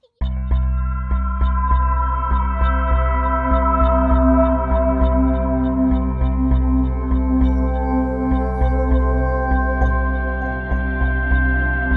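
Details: Steady ambient music with sustained droning tones and soft regular pulses; no animal voices.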